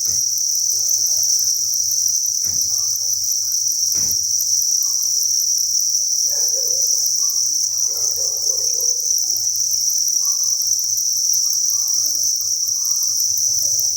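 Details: Thousands of crickets on a cricket farm chirp in a continuous high buzzing chorus, with two sharp clicks early and faint low background sounds.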